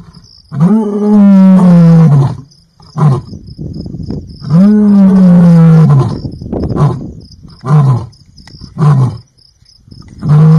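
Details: Lion roaring: two long, deep, moaning roars that rise then slowly fall, each about two seconds, followed by shorter grunting roars; a steady high insect trill runs in the background.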